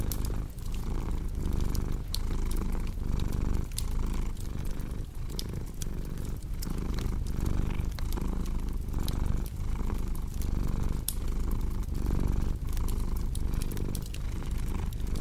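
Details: Deep, rolling cat purr rising and falling in regular breaths, about one cycle each second, accompanied by bright crackles and pops of a wood fire.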